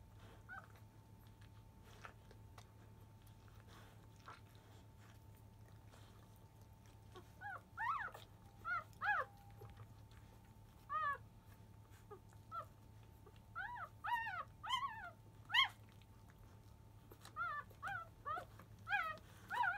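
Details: Five-day-old field-type Labrador Retriever puppies, from a litter born to biscuit, fuss noisily as they begin nursing just after 1 pm. A quiet opening gives way to bursts of high, arched squeals and whines, repeated in quick clusters over a steady low hum.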